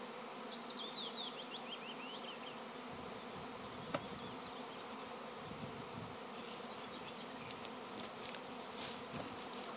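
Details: Swarming honey bees give an unbroken droning buzz under short, high, quick bird chirps at the start, with a sharp click near the middle and scratchy high bursts toward the end.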